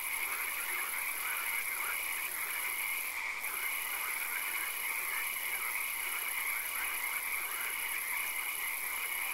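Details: Frogs calling in a swamp at night: a dense, unbroken chorus of mid-pitched pulsed croaks in a rapid, steady rhythm, with a constant high-pitched drone above and no clear break over nine seconds.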